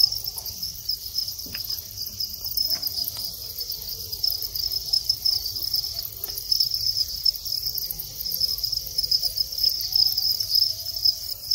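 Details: Thai crickets bred in captivity, males singing as they enter the mating phase; a dense high trill continues throughout, broken only by a few light clicks and taps.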